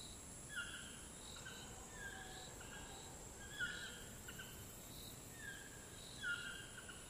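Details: Cicadas in the Costa Rica jungle keep up a steady, high-pitched hiss while short whistled notes repeat in the background.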